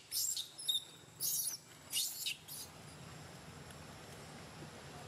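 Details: Baby monkey named Lori crying, frightened by a bigger monkey: four shrill, squeaky bursts of high-pitched cries in about three seconds, each lasting under half a second, then a steady background hiss.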